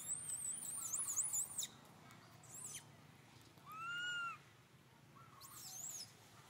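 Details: Little monkey Santo, hungry for milk, calls his mother Sara with a rising-then-falling whistled cry rich in overtones, while a bird trills and warbles high in the background.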